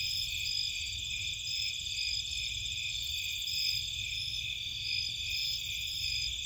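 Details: Night insects and crickets from a Cape Cod marsh form a continuous wall of high, thin trills in stacked layers, with no breaks and a soft, low background rumble.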